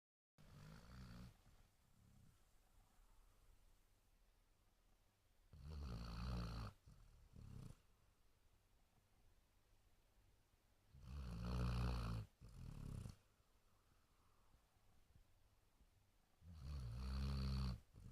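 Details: Sleeping Basset Hound snoring indoors: deep, rasping low snores in long bursts roughly every five to six seconds, each followed by a shorter catch, with quiet breathing between.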